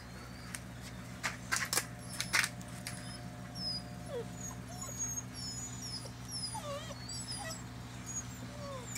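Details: Litter of five seven-week-old Poodle puppies, two brindle, one tuxedo silver sable, one apricot and white parti, one black; thin high whimpers and squeaky rising and falling whines scattered throughout, with low steady hum and a few sharp clicks.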